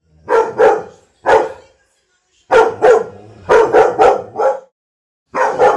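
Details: Golden Retriever (Canis lupus familiaris), bark.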